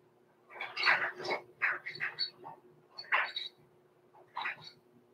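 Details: Blenheim Cavalier King Charles Spaniel puppies Roman and Blue, six weeks old, indoors overnight at the Red Barn Cavaliers pen. A run of high, squeaky whimpers comes in irregular bursts over about five seconds, above a low steady hum.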